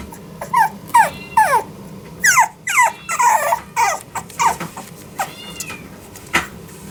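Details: Female French Bulldog puppy born 24 October 2021, kept at the Hiramatsu Kennel pet shop, Yokosuka, Kanagawa, Japan; repeated high-pitched squealing whimpers, each falling in pitch, about two per second, with faint room noise.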